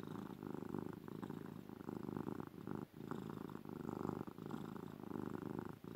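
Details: Loud purring from Ruby, a female domestic cat being snuggled: dense low vibrating rumble pulsing without break, with only tiny pauses for breath.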